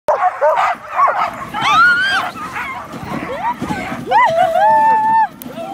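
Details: A husky in Lapland gives a string of wavering, yodel-like howls that bend up and down in pitch.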